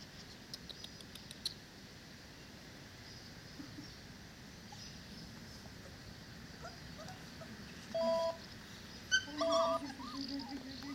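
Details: Dogo Canario puppies four weeks old, whimpering indoors in a small room: a quiet stretch of faint noise, then short high whines and yips near the end, a few brief rising cries close together.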